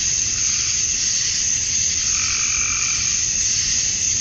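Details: Male cicadas chirping at dusk on a summer night in Georgia, USA, calling to attract females; a dense, steady, hissing high-pitched chorus fills the air without a break, with a faint low rumble underneath.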